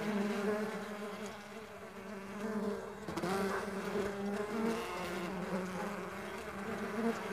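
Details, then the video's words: Stingless bees kept on a farm buzzing in a busy, overlapping drone, with individual hums sliding up and down in pitch as bees fly past, over soft background hiss. "Nature Sounds of Stingless Bee and Buzz"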